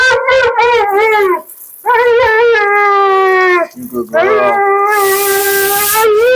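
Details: Mila, a talkative female Siberian Husky at her second-ever groom, voices drawn-out, wavering howl-like 'talking' during her bath in three long sustained phrases separated by short pauses, with a hiss of spraying water or blower near the end.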